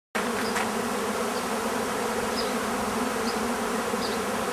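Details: Bees buzzing in a steady, dense drone with a continuous low hum throughout, a few faint high chirps from birds in the background.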